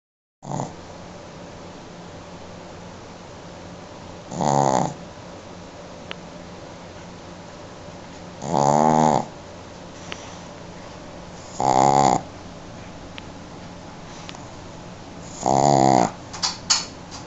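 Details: Female Shih Tzu dog napping and snoring: buzzy, rasping snores each about half a second long, coming every three to four seconds, with quiet breathing between them in a quiet room.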